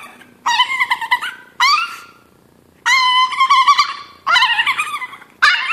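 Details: Chihuahua named Chino crying from hunger before breakfast, a sound heard before every meal: long nasal wavering whines and yowls, rising then falling, in four drawn-out bursts with brief silences between, indoors.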